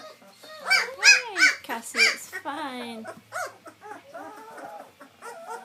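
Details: Young White German Shepherd puppies learning to sit up and walk let out a burst of arched yelping whimpers, then longer falling whines, while a person talks softly.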